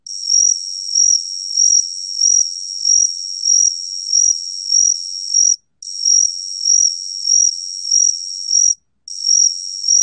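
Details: Gaksi cricket giving a sustained, piercing trill with steady pulsing swells about every two-thirds of a second, interrupted by two brief pauses.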